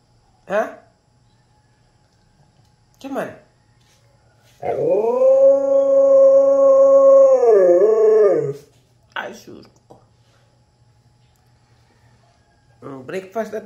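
A husky "talks" with short yips and a long, wavering, singing howl-like vocalization.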